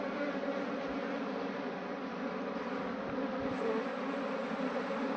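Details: Swarming honey bees during transfer from their cluster into a modern beehive, a dense continuous hum that holds level for the whole stretch, with a few soft handling bumps beneath the buzzing.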